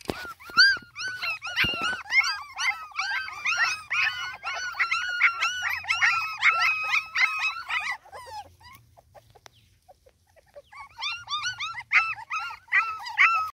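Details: Dobermann puppies, a litter of five males and one female, crying in a dense chorus of high overlapping whimpers and yelps, many callers at once, pausing briefly then resuming.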